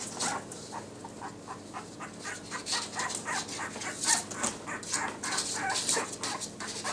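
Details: Yorkie puppies fitted with numbered collars let out faint, fast, high yips and squeals amid hissy rustling and clicking, the cries quick and irregular rather than evenly spaced.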